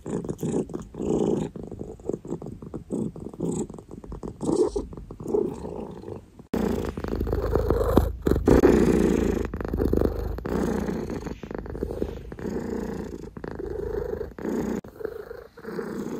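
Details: Loud close purring from Oreo the cat, a coarse pulsing rumble that grows fuller after a few seconds, with handling noises and soft thumps.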